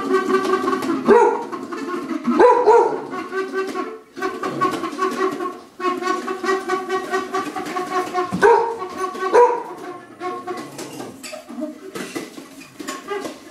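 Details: Dog named Lobo keeps barking at a Wendy's cup, apparently guarding its owner; rough, sustained barks with several sharp yelping onsets, barely pausing across the stretch.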